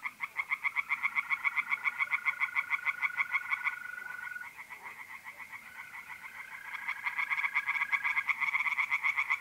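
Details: Tree frogs singing in a pond on an April night in north-east Italy: loud, rapid, rasping croaks pulsing about four per second, with a steady high mole cricket trill running beneath, fading midway and resuming.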